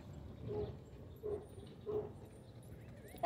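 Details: Dog at a dog park, barking three times in short, evenly spaced, mid-pitched barks roughly two-thirds of a second apart, with open outdoor background noise and brief quiet between barks.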